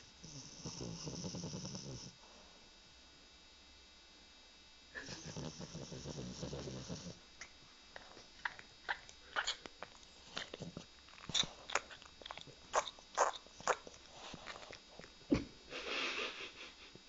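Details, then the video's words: One-year-old female French bulldog asleep belly up, snoring: two long rasping, breathy snores at the start and again after a pause, followed by scattered clicks, taps and short noises. "BULLDOG FRANCES PAN Z RONCANDO"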